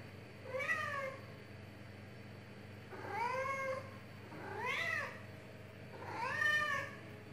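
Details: Domestic cat meowing indoors, four short harmonic meows rising then falling in pitch, spaced about every one and a half to two seconds, with a quiet low hum underneath.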